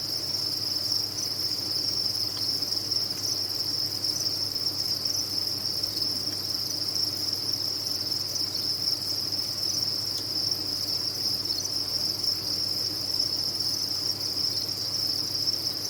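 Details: Farmed crickets in a crowded colony sustain a long, steady, piercing trill, a seamless wall of high chirps with a faint low hum beneath.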